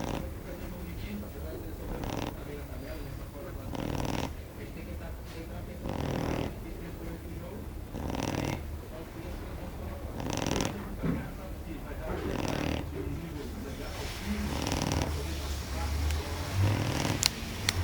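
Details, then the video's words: Female Shar Pei asleep and snoring, a rough low rasping breath repeated roughly every two seconds in steady cycles, with faint background sounds between the breaths. "Shar pei roncando"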